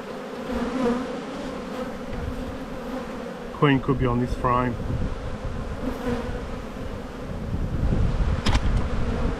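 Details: Spring buildup in the bee yard: a honey bee hive is opened for inspection on 7-9-22. A continuous low buzzing hum fills the recording, with a short stretch of human voice about a third of the way in.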